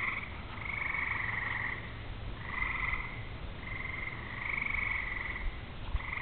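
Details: Frog chorus on a summer evening as rain comes on: buzzy, evenly pulsed trills of about one second, several callers alternating and overlapping almost without pause, over a faint low hum.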